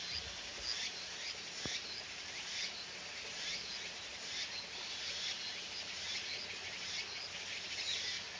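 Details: Summer daytime song of Walker's cicada, known in Japan as tsukutsuku-boshi: bright, grating chirps pulsing in uneven runs over a constant high hiss, with a brief tap near the start.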